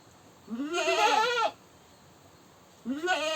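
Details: Goat screaming: a long, loud, vibrato-laden bleat lasting about a second, rising then dropping, then a second bleat begins after a short pause.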